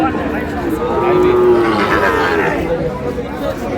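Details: Sahiwal bull calves at a market in Chattogram, Bangladesh, 5 June: one level, hoarse moo lasting about half a second, surrounded by men bargaining over price and general crowd bustle.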